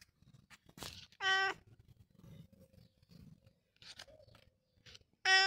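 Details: Long John Whiskers, a pet cat, gives two short, loud meows, one early and one at the very end, each a bright, strongly harmonic cry lasting under half a second, with soft rustling and faint handling noises in between.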